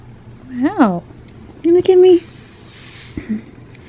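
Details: Butters, a talkative pet cat, meows indoors while being brushed: a first meow that rises then falls, then a flatter, steadier second meow, followed by a brief faint sound.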